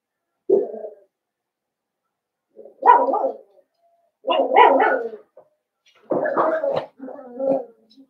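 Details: Blenheim Cavalier King Charles Spaniel puppies, a litter of five born at New Year's, kept indoors in a puppy pen, give a run of rough, harmonic barks and whimpering yelps in four bursts with short quiet gaps between them.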